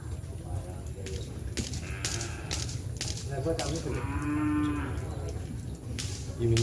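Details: Madura cattle at a kerapan sapi bull race held on the Asemanis field for an anniversary event: a drawn-out, harmonic lowing moo in the middle, set against constant crowd murmur, voices and outdoor bustle.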